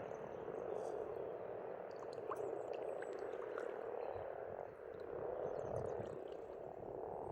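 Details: Many frogs croaking together at a pond in Estonia in spring, a steady low rolling chorus that swells slightly toward the end, with scattered faint bird chirps high above.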